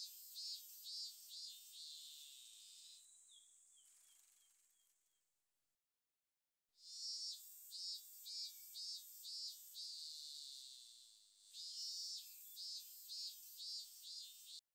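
A robust cicada sings loud, high, buzzing pulses, about two each second, broken by a brief silence.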